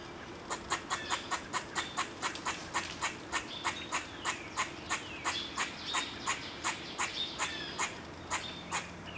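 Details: An older squirrel objects to being watched while a group of young squirrels plays: a steady run of about two dozen sharp, clipped barks, roughly three per second, each a short bright chuck, with faint background hiss.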